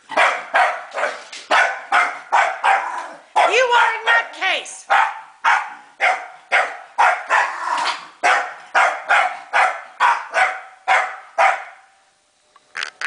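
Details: Scottish Terrier Elvis barks furiously at a vacuum cleaner, a fast unbroken volley of rough barks roughly two per second, with a brief whining, wavering tone partway through before the barking resumes and stops near the end.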